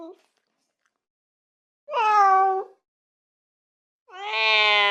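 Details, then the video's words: House cat meowing twice, long drawn-out level cries separated by a pause, the second louder and harsher. "Cat Sound Effects"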